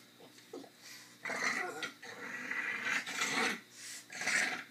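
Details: A dog at play time growls in noisy, breathy bursts with broad hissing energy, a low snarl rising and falling over several seconds, with short pauses between rough grunting pulses.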